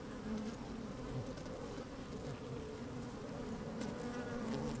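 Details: Close inside an open honey bee hive on a fine day, a thick murmuring hum of many bees, with short brighter buzzes flaring up and occasional light taps as insects crawl past the microphone.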